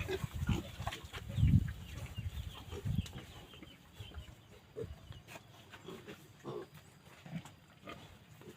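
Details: Kept Phu Phan wild boar in Kham Muang district, Kalasin, Thailand: deep, rough grunts, loudest in the first two seconds, then scattered softer low snorts over a steady noisy background.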